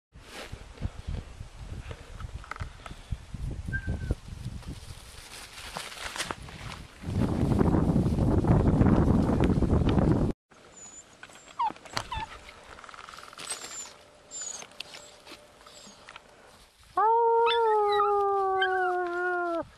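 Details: Small dog named Brunis howling in response to whistling. Wind buffeting, rustling and footsteps fill most of the recording, with faint tones in between, before a sustained, slightly falling, richly harmonic howl rises in the final three seconds.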